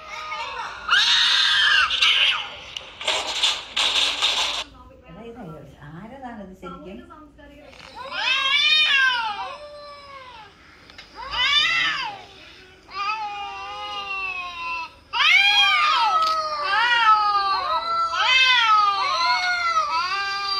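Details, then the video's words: Mature cat reacting to cat sounds played on a mobile phone, including kittens meowing and cats fighting. Two harsh hissing bursts open the clip, then after a short lull come loud, arching, strongly harmonic meows, several in a row near the end. "Cat reacting to cats sounds played on mobile phone. (Kittens meowing, cats fighting etc)"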